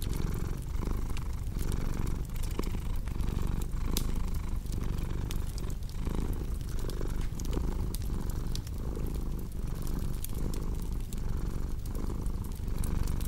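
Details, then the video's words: A domestic cat purring steadily beside a cozy crackling fireplace. The low, rumbling drone pulses in even breath cycles of under a second, while sharp wood pops and crackles scatter across the top. "Purring Cat"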